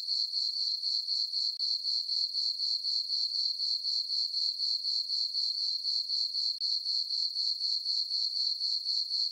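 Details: High, ringing cricket chirps from a farm meadow under a full moon on a peaceful summer night, regularly pulsed at about four beats a second, alone.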